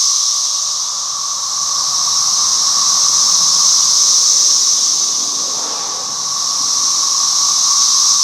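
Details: Many cicadas sing together in a loud, steady, high-pitched whirring drone that barely wavers, heard in a yard in Halifax, Virginia, in 2024, where they fly everywhere and feed on a red maple tree; possibly a 17-year brood.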